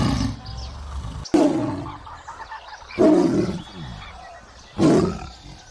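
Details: Tiger sound for a kids' animal-learning lesson: three separate gruff roaring bursts roughly every one and a half to two seconds over low rumbling background.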